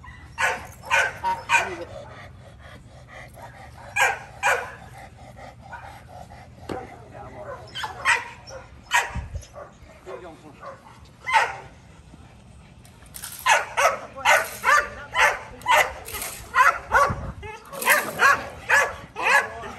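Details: First day of bite-work protection training for Kolohe, a male Rottweiler: spaced barks at first, then a rapid, loud barrage of sharp barks in the second half.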